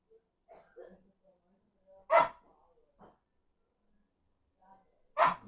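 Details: Sleepy whippet giving two short, harsh, huffing barks about three seconds apart, with soft low murmuring and faint whiny sounds in between, quiet setting.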